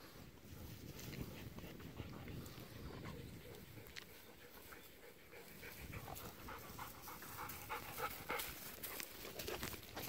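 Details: Two golden retrievers walking and rolling in a harvested rice field where stubble is sprouting green again, October 8; quick, breathy panting runs steadily throughout, mixed with rustling outdoor noise.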